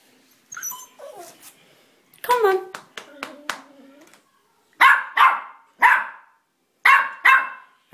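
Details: Indoors on a staircase, the pet dog Elvis, who climbs up but refuses to come back down, barks loudly in pairs of sharp yaps after a stretch of a person's coaxing speech.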